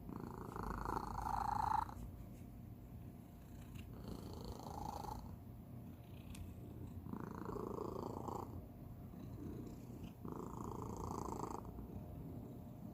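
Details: Domestic cat, youngest of the family, purring in a peculiar manner: constant low rumble with nasal squeaking bursts on each breath about every three seconds, recorded close indoors.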